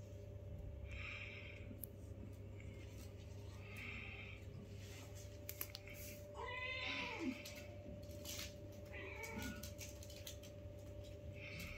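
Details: Newborn kittens playing with their mother for the first time, one of five kittens in a home litter; a few faint, short arched meows with stacked harmonics, the clearest around the middle, over a steady low electrical hum and soft rustling.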